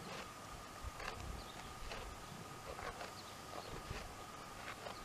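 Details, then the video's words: Jamahl and Laila, a pair of dromedaries, ruminating at ease: quiet grinding chews repeating roughly every second, with a constant faint tone and light rural ambience behind. "Chewing the cud"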